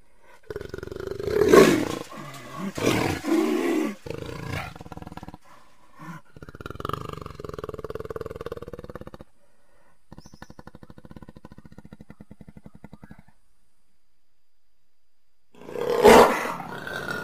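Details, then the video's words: Jaguar calling: loud, hoarse roaring bursts near the start, a drawn-out tonal growl in the middle, then a fast pulsed rasping stretch, a short silence and one more powerful roar at the end. "Jaguar Sounds"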